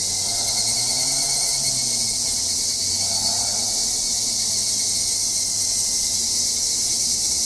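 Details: Cicadas buzz in a dense, steady, high-pitched drone that never lets up, on a Japanese satoyama mountain during a summer hike.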